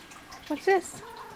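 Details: Alie, a pet cat, meowing while playing with a toy and talking back: a faint short note, then one brief, clear, tonal meow with rich harmonics, in a quiet indoor room.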